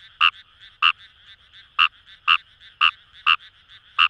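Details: Fejervarya kawamurai recorded in Itoshima, Fukuoka, Japan, among paddy fields by the Kamo River: seven loud grating croaks spaced about half a second apart, with quieter calls from other frogs between.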